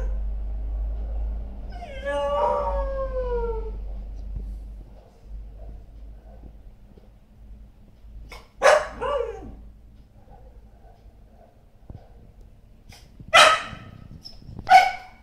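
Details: A Samoyed howls: one long wavering note drifts downward for about two seconds. After a pause come several shorter, louder rising-and-falling vocal bursts, over a steady low background hum.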